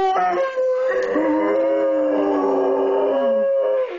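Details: Two dogs, a German shorthaired pointer named Duke and a Jack Russell terrier named Cody, howl together in long overlapping tones.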